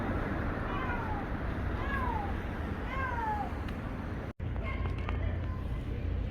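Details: A tuxedo stray cat on a busy street gives three plaintive, falling meows about a second apart over steady traffic rumble; it had been crying for a while, seemingly hungry, and was then fed.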